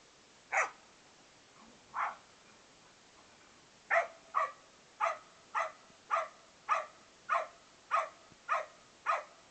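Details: Australian Cattle Dog/English Setter mix, a male foster dog, barking while playing; short sharp barks, two spaced apart, then about ten in a steady run roughly every half second, in a quiet setting.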